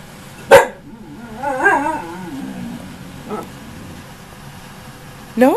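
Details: Nearly one-year-old female husky Ankita talking back to her owner: a sharp bark, then a wobbling, sing-song moan sliding downward, a short later yelp and a final sharp bark, with the owner's voice and music faint behind.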